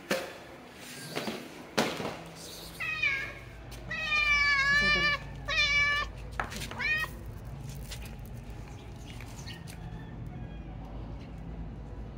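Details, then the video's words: Stray female calico cat meowing repeatedly, a run of loud, wavering, harmonic meows about four to seven seconds in, followed by softer calls and low background hum. "Calie the Stray Calico Female Cat."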